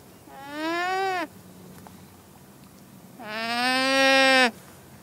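A llama gives two drawn-out, nasal, bleating calls, each lasting about a second.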